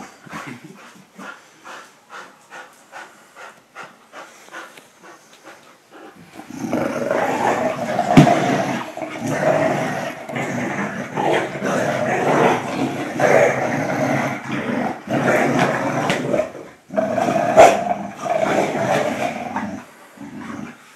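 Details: Friendly tug of war between a Pit Bull and a German Short-haired Pointer; quick panting-like pulses at first, then sustained harsh play growls with short breaks near the end.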